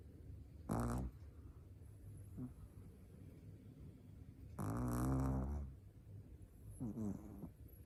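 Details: A four-month-old Shih Tzu puppy asleep and snoring: three low, rattling snores, a short one, a longer one lasting about a second, then a short one. Quiet hiss between them.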